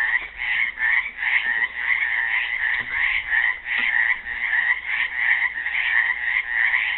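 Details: A chorus of frogs caught in a pool at Helix, Oregon, Earth Day 2016: continuous, rhythmic rasping croaks from many animals overlapping into a steady pulsing wall of sound.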